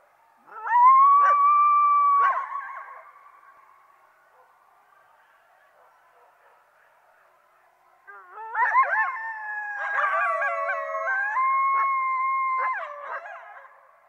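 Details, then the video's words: Coyote calls: a sustained wavering howl near one second into the clip, then quiet, then a second chorus of overlapping howls with sliding, yipping notes from about eight seconds; no other sounds. "Coyote Sounds"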